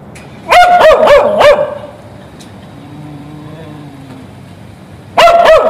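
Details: ['Waiting for its owner while tied to a fence on the street, a dog lets out a fast burst of four barks, falls quiet for about three seconds, then barks once more.']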